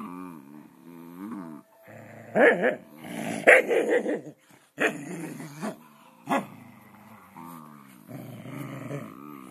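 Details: Scottish terriers wrestling in play, producing rough, rising and falling growls with short yips and barks bursting out in clusters, quiet gaps between bouts, with faint Spanish speech nearby.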